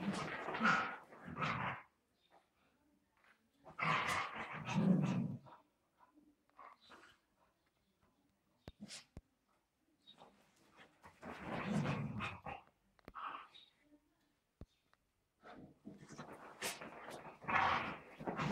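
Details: Dogs playing, making rough growly bursts and breathy snorts at irregular intervals, with quiet gaps in between.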